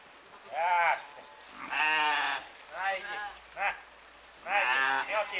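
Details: Six-month-old Romanov lamb, bottle-fed, on a 26-degree day: five loud, wavering, nasal bleats, each under a second, coming in bursts about one to one and a half seconds apart, with a person speaking nearby.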